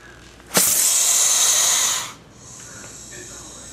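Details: Angry male southern pine snake giving one loud, breathy hiss that starts abruptly, holds steady for about one and a half seconds, then cuts off, leaving a soft background hush.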